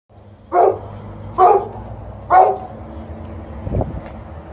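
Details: An elderly male Golden Retriever, wanting more attention and a belly rub, gives three short, mid-pitched barks about a second apart.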